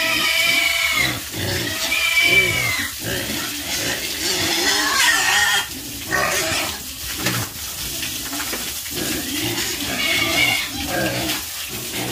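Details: Group of pigs on a farm giving wavering, harmonic squeals and noisy grunts, the squeals rising and falling in pitch and crowding over one another, briefly quieter midway.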